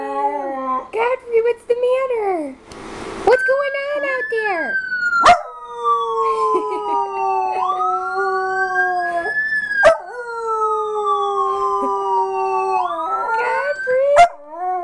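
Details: Miniature Schnauzer Godfrey howling in response to a recorded siren played indoors; long wavering harmonic howls, rising then sliding down, repeated several times, overlapping the siren's steady wail, with sharp clicks and brief human voice.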